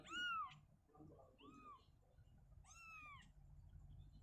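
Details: Shizuka, a mother cat, carrying her kitten from a cabinet to an open area inside; three drawn-out meows, the first loud and strongly falling, over a low hum.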